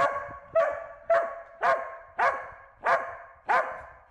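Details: Corgi herding a bee: seven sharp, mid-pitched barks repeated about every half second at a steady rhythm, each bark short with a quick decay, against a quiet background.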